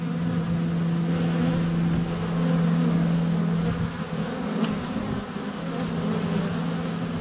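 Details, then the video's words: Bees in flight surrounding a GoPro at a hive entrance in February sun, some landing on the camera: a deep, steady droning buzz with a sustained low tone, dipping briefly near four seconds, one sharp click. "Honey Bees - ambient video and audio"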